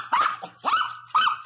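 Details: Pregnant pinscher dog barking indoors: three short, sharp yapping barks in quick succession, each bright and slightly rising then falling, with a faint low hum behind.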